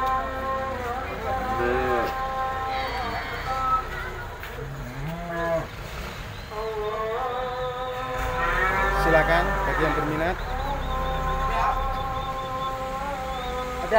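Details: Cattle kept for sale at an Indonesian livestock market give drawn-out lowing moos, some rising then falling in pitch, several overlapping through the stretch, with background noise and talk nearby.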